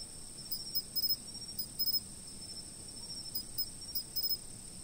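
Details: Insects chirping, captured by a fixed-position camera: two steady high-pitched trills ring on without a break, while short clusters of faint ticking chirps break in every second or so.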